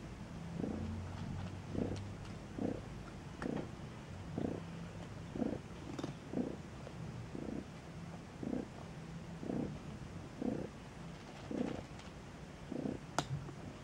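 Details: Low, muffled bursts from newborn Maine Coon kittens kept at a Saint Petersburg cattery in Russia, pulsing steadily about once per second over a quiet indoor hum with occasional small clicks.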